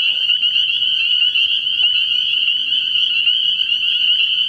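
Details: Chorus of spring peepers at a pond after dark in early spring: countless high, piping peeps blend into one constant shrill ring, with faint low humming notes beneath.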